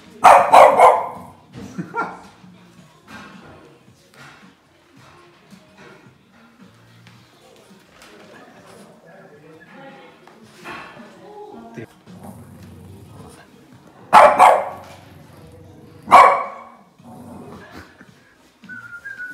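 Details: Boston Terrier dog barking at the television indoors: a loud sharp bark at the start, a softer one soon after, then two strong barks near the end. A person speaks Hungarian between them, over faint TV music.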